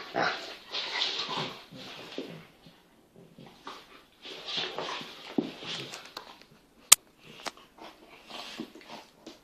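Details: Kangal dogs Venus and Tyson, a massive eight-month-old full Kangal puppy and a cross Kangal half his size, playing together: bursts of whiny, grumbling play noises in two longer bouts, then short scattered yelps and sharp clicks.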